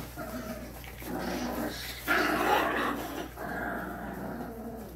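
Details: German Shorthaired Pointer puppies four weeks old, giving a mix of low grumbling and whimpering cries in several overlapping bursts, with a louder squealing cry near the middle.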